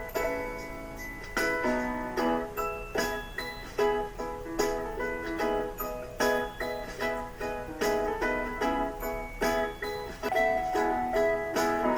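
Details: Plucked-string music with repeated bright notes, and no animal sounds.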